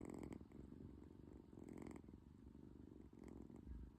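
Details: British Shorthair kitten indoors, snoring and purring at once while asleep: a low, rumbling purr with soft breathy swells, close and continuous.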